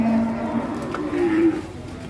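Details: Cow on an Indonesian cattle farm, described as rampaging and knocking over a motorbike: a low drawn-out moo with a second tone rising near its end, over background music and crowd noise.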